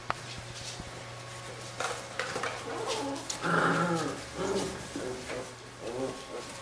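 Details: Labrador retriever puppies of a B litter at play, giving a run of short harmonic yips and whiny squeals midway, with soft rustling and handling noise around them and a steady low hum underneath.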